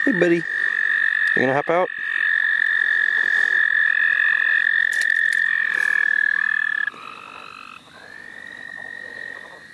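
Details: Frogs in the St. Olaf College Natural Lands, heard while people catch them for fun: a long, steady, high trilling tone held for about seven seconds, broken by rough pulsed croaks near the start, then fading to softer overlapping calls.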